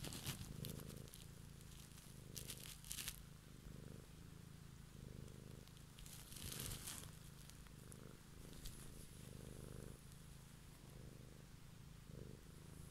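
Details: A domestic cat purring at close range one evening: a low, rhythmic rumble pulsing with each breath, interrupted by crinkly rustling and handling noises, especially early on and around the middle.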